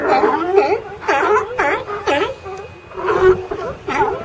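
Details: A pile of California sea lions, heard in ambient sound: loud, hoarse barks and groaning calls from more than one animal overlap in short bursts with brief lulls between.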